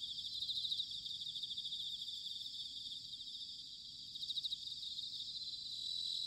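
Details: Bell crickets singing in autumn, recorded at Sanuki, Chiba Prefecture, Japan: a steady high chorus with pulsed bursts swelling near the start and again around four seconds, over a soft low rumble of background noise.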